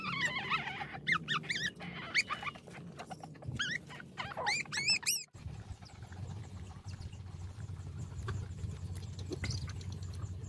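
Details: A small hungry puppy gives bursts of high, curved yelping whines in the first half, several cries close together, then falls quiet as a steady low rumble and faint noise take over.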